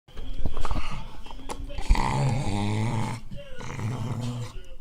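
A dog growls low and steadily in long rumbling bursts to guard its bone.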